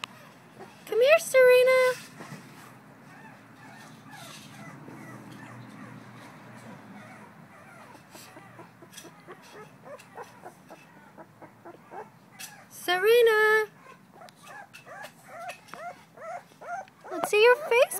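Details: Two-week-old female blue-nosed American Pit Bull Terrier puppy Syrena, recorded on 21 December 2011, lets out loud bending squeals in three bursts. Quieter whimpers fill the gaps between them.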